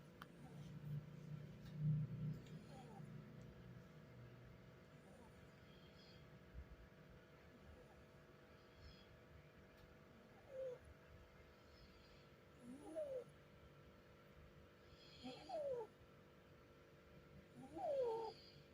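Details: Doi, a pet cat, snoring while asleep. A low rumbling breath opens the recording, then soft squeaky whistling snores rise in pitch about every two and a half seconds over a quiet indoor hum.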